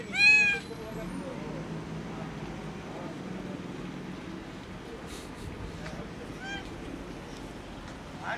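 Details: Skinny hungry kitten meowing loudly from hunger: one loud, bright, wavering meow right at the start, then a shorter, fainter meow later, over a quiet hiss with a few soft knocks.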